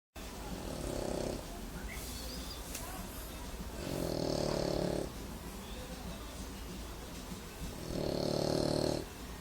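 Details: A male English Bulldog snores like a pig in deep, rasping breaths that swell up about every four seconds.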